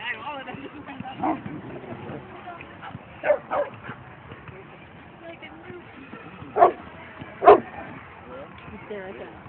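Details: Boston Terrier at a dog run on 22 May 2011, giving sharp, broadband barks at irregular intervals, about five across the recording, some in quick pairs, over a steady background of people chatting.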